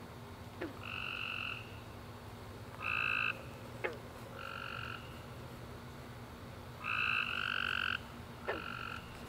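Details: A chorus of tree frogs calls at night after a warm, rainy summer day, in bursts of nasal, trilled notes with short gaps between them.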